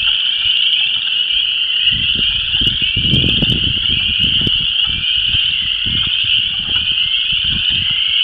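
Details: Frog love chorus of Chorus Frogs, Spring Peepers and Wood Frogs at a disturbed ephemeral depression in Vermilion County, Illinois: continuous shrill peeps and trills layered over repeated low rumbling wind gusts through most of the recording.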